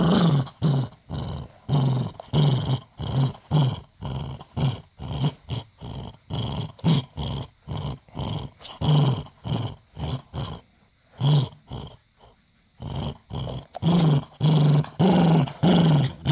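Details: Dachshund growling while playing tug of war for a toy, rapid chains of short low growl pulses, roughly two per second, with a brief lull near the middle before the rumbling resumes.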